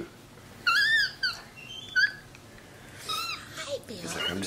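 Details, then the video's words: MonkeyBoo, a pet male capuchin monkey relaxing on his leather couch indoors, gives a few brief squeaky chirps with bright harmonics, separated by pauses, while people talk around him. "Vocal Monkey On the Couch!"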